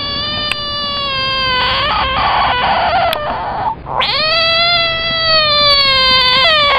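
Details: Screaming caught frog giving a long, steady, harmonic wail, almost cat-like, that breaks off briefly midway and then resumes, sliding slightly lower before a small upturn at the end.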